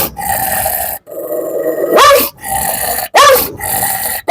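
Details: Biting dog, about 8 to 9 years old with dimmed eyesight, held on a leash, growling in long rumbling stretches broken by sharp barks near the two- and three-second marks.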